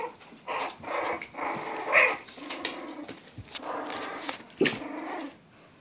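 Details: English bulldog puppies kept as in-home pets in lower Western Michigan, giving rough, raspy growls and grumbling yelps in scattered bursts, with one sharper squeal near the middle and another toward the end, indoors.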